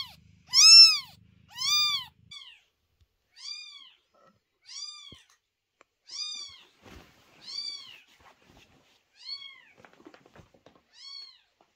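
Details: Newborn kitten born to the cat Chloe, crying loudly at night: a run of about nine high, arched meows, the first two loudest, then softer calls roughly every second or so in a quiet room.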